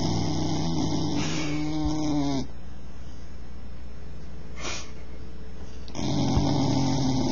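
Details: Bull terrier asleep and snoring: two low, rattling, harmonic snores separated by a few seconds of soft breathing hiss, with a faint rustle in between.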